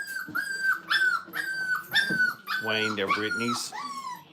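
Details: Five-week-old Brittany puppies in a crate at a training kennel whimper: thin, high, slightly falling whines come about twice a second, then a person's voice takes over in the second half.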